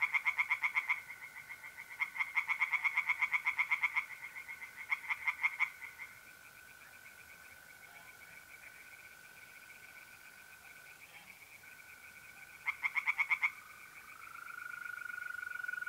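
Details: On a mid-April night at a pond in north-east Italy, tree frogs call in rapid pulsed bursts of one to two seconds, separated by pauses where the steady trilling of mole crickets carries on alone.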